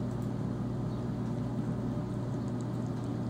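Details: A steady low electrical hum with faint broadband hiss; no animal voice.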